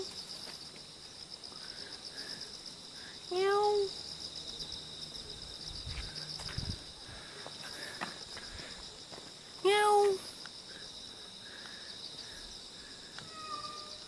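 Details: A cute wild cat in Jeonju, Korea, meows twice, roughly six seconds apart, each call short and bright with a quick upward sweep. Continuous shrill insect chorus and soft outdoor background noise fill the gaps.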